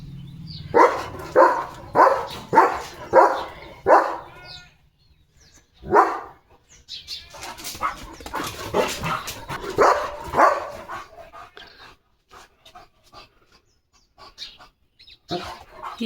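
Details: A German Shepherd wearing new glasses barks in a steady run of five sharp barks, about one every half second. Rougher barks and scuffling follow, and people talk about the dog running around.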